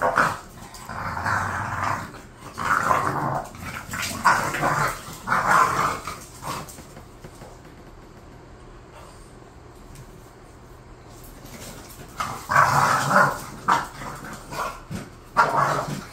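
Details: Bored pet bulldogs Khan and Ali trading long bouts of rough growling and barking for about six seconds, going nearly silent in the middle, then resuming with loud growly barks toward the end.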